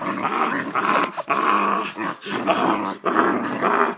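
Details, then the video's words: Part-pit dog growling during rough play indoors while being gently smacked in the face by a person; a continuous, rumbling, throaty growl with short breaks around one, two and three seconds. "My Dog Makes Crazy Noises"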